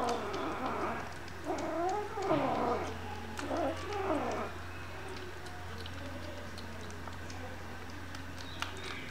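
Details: Hungry kittens giving a run of quick, overlapping, bent meows over a steady low hum; after about five seconds the calls fade to faint mewing.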